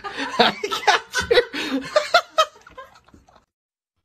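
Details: A person laughs and chuckles in a small room in quick bursts, then falls quiet; no animal sound.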